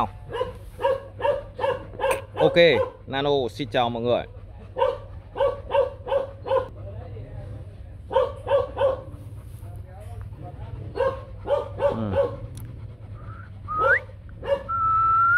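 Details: Short barks from the young male Rottweiler stud Nano Gervi, sired by the imported dog Bruno out of Melsee Gervi, repeat in quick bursts through most of the recording, broken by a stretch of human voice and a low background hum.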